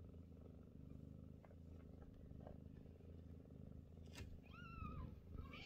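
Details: Scottish Fold mother cat Chloe purrs steadily while feeding her growing kittens, who shove for a place; near the end a kitten gives a single high, drawn-out mew over the rhythmic rumble.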